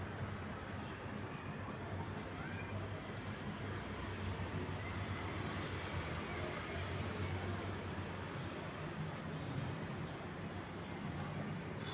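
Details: Steady low rumbling machinery or vehicle noise with a faint hum, and no animal calls.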